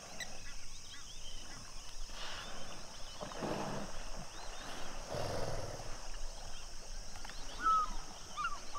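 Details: Pod of common hippopotamus at sunset at Duba Plains in the Okavango Delta: deep, rough honking grunt bursts at about two, three and a half and five seconds, over a steady insect drone and scattered high bird chirps.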